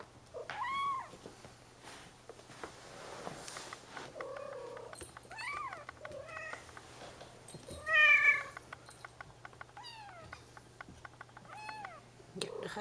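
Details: Bengal babies adventuring in their playpen mew intermittently among rustling and shuffling, with a louder wavering meow near the middle and quieter arched cries before and after, followed by a Dutch-speaking voice.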